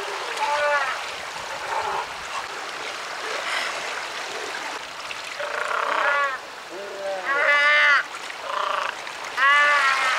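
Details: South American sea lion (Otaria flavescens) colony at Huiro on Costa de Corral, about 40 km south of Valdivia, Chile, recorded from rocky shoals about 30 m across the surf; repeated harmonic bleats over steady surf, audible from 1 km away.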